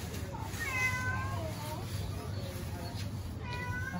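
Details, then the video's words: Hungry stray kittens living on the street in Istanbul meow for their mother cat; several thin, harmonic meows overlap, some short and some drawn out, over a steady low rumble of street noise. "Starving kittens living on the street meow for mother cat"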